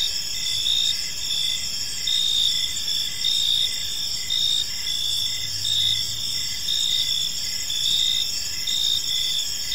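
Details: Evening cricket chorus in a peaceful park, many insects sustaining high, buzzy trills with regular rhythmic pulses, a brief low hum mid-clip beneath the steady chirping.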